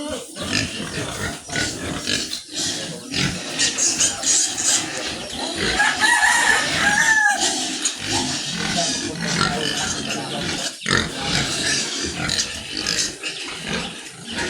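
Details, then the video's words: Farm sows grunting and snorting continuously in quick, uneven bursts, with a brief crowing-like call near the middle and steady background clatter. "Sumpit ng mga inahing baboy"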